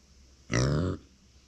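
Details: A pet micro pig, the female Uni, calling out when left alone: one half-second nasal grunt, rich and harmonic, in a quiet indoor room.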